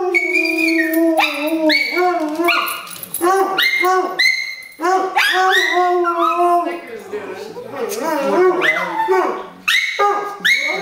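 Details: A pair of domestic dogs joins in a howling session, trading wavering drawn-out howls and rising yelps in quick bursts, their voices overlapping and breaking off every second or two.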